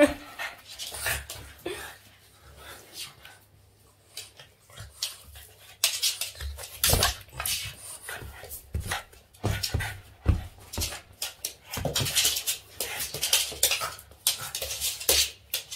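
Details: Playful Boston Terrier Yoda mouthing and tussling with its owner's hands: a quiet start gives way to dense snorts, huffs and breathy pants in rapid clusters, mixed with rubbing and scuffling sounds.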